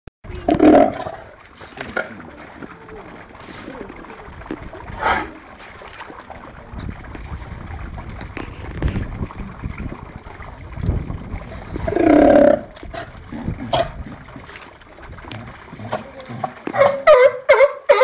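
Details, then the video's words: Patagonian and Californian sea lions at the National Seal Sanctuary, Cornwall, filmed 24 March 2010; a few loud, harsh, honking roars burst out at the start and around twelve seconds, with quieter stretches, splashing and background voices between. "Sea-Lions at Seal Sanctuary"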